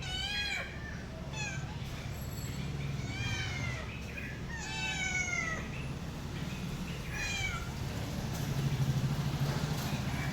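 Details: Domestic cat meowing in short, descending cries early on, quieter and farther apart later, over a strong low rumbling background like a vehicle or engine.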